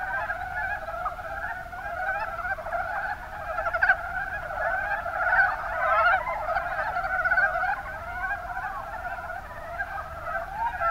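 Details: Mountain brown frogs calling in the Kuma Basin, Kumamoto, Japan: a dense chorus of overlapping low chuckling croaks in rapid pulsed runs, swelling and fading throughout, no other sounds clear.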